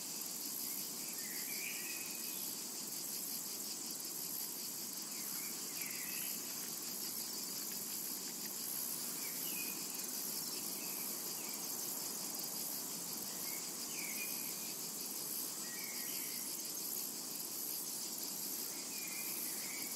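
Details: Summer meadow cicada chorus, a steady sizzling high drone without pauses, overlaid by brief, widely spaced bird chirps and twitters.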